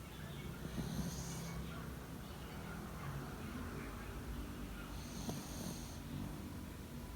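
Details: Sleeping Yorkie sprawled on a person's bed, 28 February 2019 at 09:15. Quiet, airy sleep breaths rise and fade in two clear hissing puffs several seconds apart, with gentle low rumbling between them in a still room.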